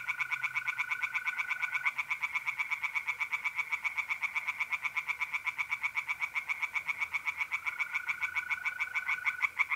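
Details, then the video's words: Tree frogs singing in a pond on an April night in north-east Italy, fast rattling croaks pulsing several times a second without pause, with a steady high trill of mole crickets running beneath at the start and end. "relaxing singing tree frogs in pond"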